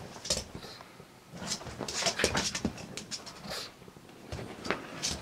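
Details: Pugsy the pug back from a walk in the park, making noisy bursts of snorting, broadband sounds at an uneven, fast pace. Short pauses fall between the louder bursts, and he keeps this up for about thirty minutes after each walk.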